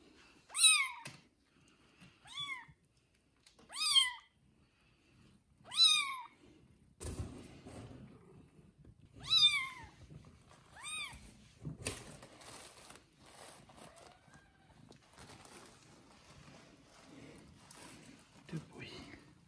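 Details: Day-old kittens with their mother cat give a run of clear, arched mews about every one to two seconds, then handling and rustling noises take over.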